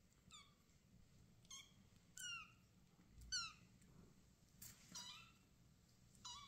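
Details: Rescued kittens with their mother, asking her to let them nurse; high, thin descending mews repeated roughly every second in quick bursts, with faint rustling and handling noise in an indoor room.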